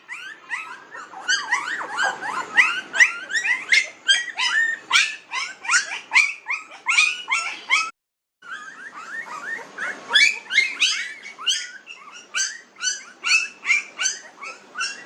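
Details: Several 19-day-old newborn puppies in a village, squeaking and whimpering nonstop: thin, high, wavering yelps overlapping about twice a second, with one short silent gap midway.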